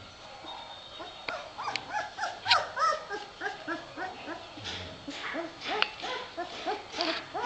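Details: Three-week-old puppies in a litter give a steady stream of short, arched whining yelps, overlapping and repeated about three times a second, rising and falling in pitch, with a few sharper squeaks among them.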